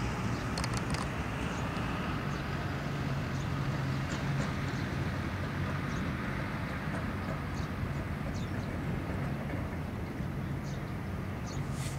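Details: A steady low rumble of passing traffic or a train fills the recording, with no clear animal calls.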